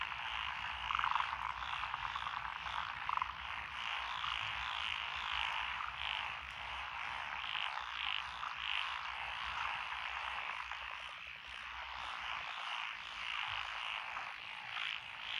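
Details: Rice paddies planted with lotus in Echizen City, Fukui, Japan, 12 June 2021: Japanese tree, black-spotted pond, wrinkled, Schlegel's green and forest green tree frogs calling together in a thick, unbroken wall of trilling croaks, a few louder notes standing out.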